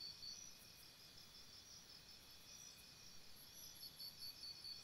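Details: Crickets chirping at night near a campsite; mostly a soft high insect hum, then a short bright burst of rapid pulses in the last second, backed by low steady hiss.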